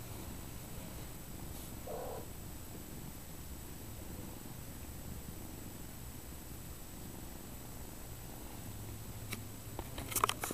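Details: Domestic mother cat purring while nursing her kittens and giving them a bath; a soft, steady, low rumbling purr runs throughout, with one brief faint squeak early on and a few light clicks near the end.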